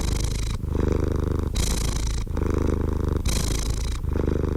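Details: Deep rhythmic purring of a cat, a dense rumble of quick pulses alternating with breathier, hissing stretches about once a second, with no other sounds.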